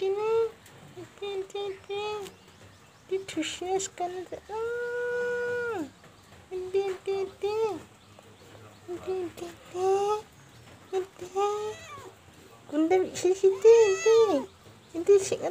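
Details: Cute cat giving a run of short, high mews with arching pitch, mostly in quick bursts of two or three, broken by one long, steady drawn-out mew and brief quiet pauses.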